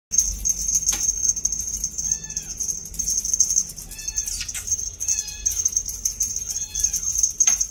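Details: Two-month-old female purebred Scottish Fold kitten with a bi-lilac coat and tightly folded ears, giving four short, high, tonal meows spaced a second or two apart. A steady high electronic whine and a few sharp clicks run underneath.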